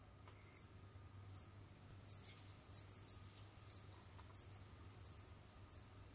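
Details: Jamaican field cricket kept as a pet, roaming, digging and hunting, giving short high chirps of a few pulses, repeated irregularly about every half second to second, over a low steady hum.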